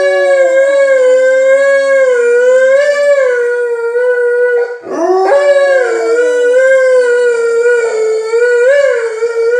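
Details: Two Alaskan Malamutes, Tuvaaq then Aanaga, howl from inside a house at people outside: long sustained tonal howls with rich harmonics, gently wavering in pitch, a brief break near the middle before the howling resumes.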